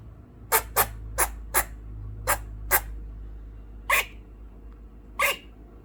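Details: Pet female Eastern gray squirrel indoors barks at crows flying past the windows: eight sharp, dry barks over about five seconds, the last two longer and harsher, over a low steady hum.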